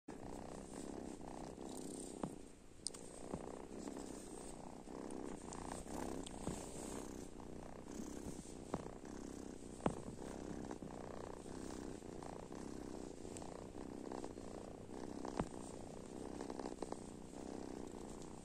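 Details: Domestic cats and kittens just woken up in the morning, purring indoors: a steady, rumbling low purr that pulses without a break, with a few sharp clicks and small knocks scattered through it.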